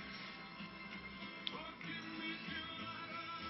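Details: Quiet rock-style music with guitar and faint singing plays throughout, with no barking or other animal sounds.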